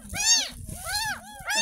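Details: Ten-day-old kitten being washed for the first time since it was found in a gutter: two drawn-out high mews and the start of a third, with low bathing noises and a voice behind.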